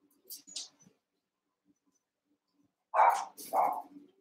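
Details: Young Cavalier King Charles Spaniel puppies, eight together, wrestling and playing indoors in a puppy pen. After soft faint yips, two sharp, mid-pitched barks come about half a second apart.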